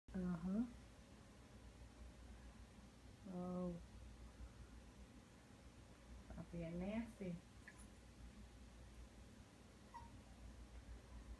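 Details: Chloe, a female Chihuahua-Yorkie mix, pins Kaiden, a Silky Terrier, against a wall indoors for stealing her bone and gets loud. Three short, tonal, harmonic-rich bursts rise slightly in pitch, near the start, at three and a half seconds and around seven seconds. The room is otherwise quiet.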